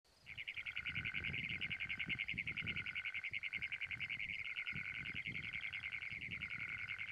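A Great Plains toad gives a long, harsh, rapidly pulsed metallic trill that runs without a break.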